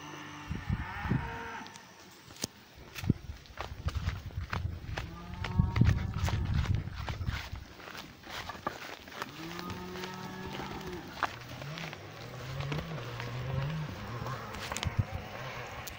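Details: Cows in a pasture giving low, drawn-out moos, one wavering call midway and a stepped lowing toward the end, among scattered knocks, shuffling and background noise.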